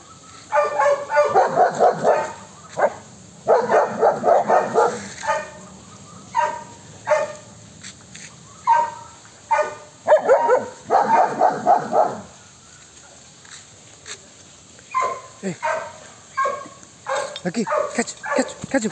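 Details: German Shepherd guarding the house and garden, barking in loud, harsh bursts: rapid runs of several barks, then short pauses, roughly 78 barks a minute in an irregular rhythm.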